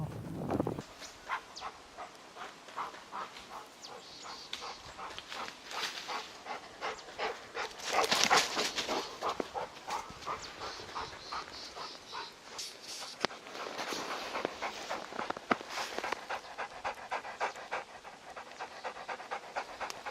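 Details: Deokbae the Labrador Retriever hiking a snowy mountain trail in Gangwon-do, South Korea, caught in heavy late-March snow; fast breathy panting runs on for twenty seconds, roughly three puffs a second, mixed with crunching footsteps in snow.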